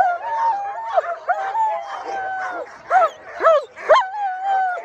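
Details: Sled dogs including the female Alaskan Malamutes Sojou and Dotty, about to take off on a run chasing a bigger team on a cart; long drawn-out whining tones broken by quick upward yelps, several voices at once.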